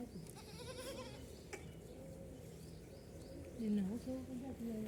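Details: Ten baby goats drinking milk. Quiet, wavering, nasal bleats with clear overtones overlap one another. A louder rising bleat sounds near four seconds, over a steady low background hum.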